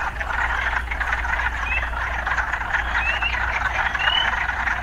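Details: Frogs croaking in a town setting, a steady pulsing chorus with three thin rising chirps, over a low constant rumble of traffic.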